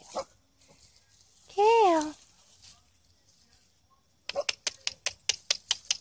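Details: Havamaltzu and Chihuahua mix puppies playing outdoors give a single arched, tonal whine of about half a second that rises and falls, then a run of quick sharp taps or claps follows.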